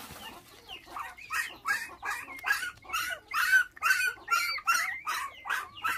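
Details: Five puppies bereft of their mother at six days old, stolen by dog thieves, now bottle-fed in Vietnam; steady run of rough squeals, a little over two each second.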